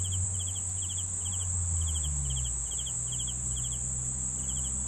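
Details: Cricket chorus: an unbroken high trill plus pulsed chirps about three per second, with a noticeable low rumbling hum in the background.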